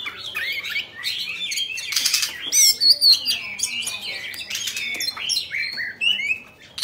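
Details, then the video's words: Oriental magpie-robin, Bạch Bạng type, a cage bird singing while spreading its tail: varied warbling whistles and chirps, with a dense harsh burst near the start and bright rising notes later. "Choè Than Bạch Bạng Hót Múa Xoè"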